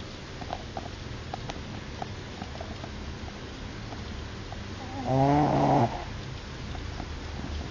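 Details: Shih Tzu snoring: after several seconds of quiet low room hum, one loud, buzzy, nasal snort lasting about a second, with a strong low drone.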